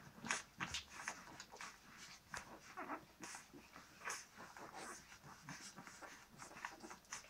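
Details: Young Maremma Sheepdog pups born 20 August 2017 make repeated short, high whimpers and snuffling breaths in irregular bursts, indoors.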